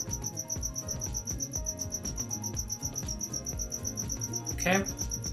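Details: Unseen cricket chirping indoors in a room used for recording a lesson, never located at the time. A rapid, regular train of high, thin pulses runs throughout, with a man's voice talking over it and a brief louder vocal sound near the end.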